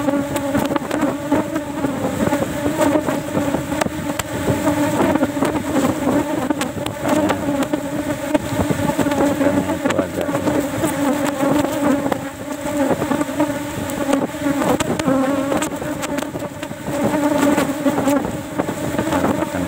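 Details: Asian honey bees (Apis cerana) in a cultivation box during a honey harvest, with only one frame taken because honey is scarce and it is not yet flowering season; a dense, steady droning hum of many bees throughout, with flickering wingbeat buzz.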